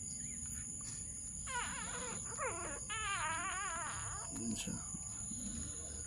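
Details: American Bully puppies from Hailey's litter of eleven born January 3, 2021: wavering, warbled whines rising and falling for about three seconds, mixed with Tagalog speech and a steady high electronic hiss.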